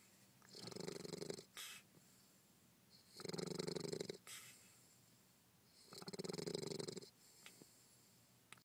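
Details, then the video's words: Sleeping bulldog snores in three long, rough, raspy rumbles, about one every three seconds, with short faint snorts in the quiet gaps. "Snoring bulldog"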